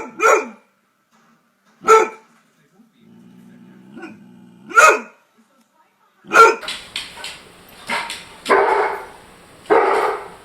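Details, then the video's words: Barking from a German Shorthaired Pointer: single sharp barks spaced about two seconds apart, then a denser run of rougher, louder, more echoing barks in the second half. "German Shorthaired Pointer (GSP) Dog Barking Sound Effects. Pointer Makes The Loudest Barking Noise"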